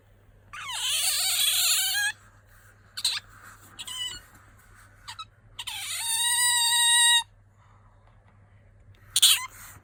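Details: Pet otter squeaking, a sound made when sleepy or wanting attention; long, loud, harmonic-rich squealing whines of about a second and a half each, with short high chirps between them.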